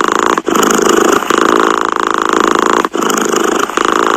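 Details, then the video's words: A cat's purr, loud and near: a buzzing drone that pulses with the breathing, dipping briefly twice, about two and a half seconds apart. "Tiếng mèo kêu gừ gừ"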